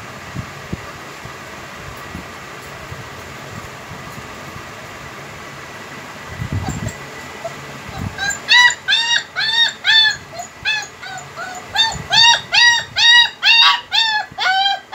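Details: Home-bred heavy-bone, double-coat German Shepherd puppies: a steady background hum for about eight seconds, then a fast run of high, arched, whining yelps, about two each second and often overlapping, continuing to the end.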